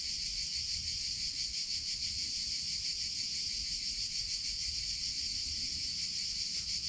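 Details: Cicadas in summer hold one continuous shrill drone, even in loudness throughout and finely pulsed, over a soft low-frequency background hum.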